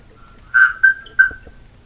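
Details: Atlantic Forest marsupial tree frog (Gastrotheca microdiscus) in the Atlantic Forest giving its call: three loud, ringing, metallic notes over about a second that sound much like a bellbird's clang, over a faint steady hum.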